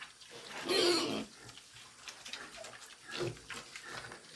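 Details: Several pigs making noise while feeding: a loud harsh squeal-like burst near the start, then softer grunting and rustling, with another short squeal around three seconds.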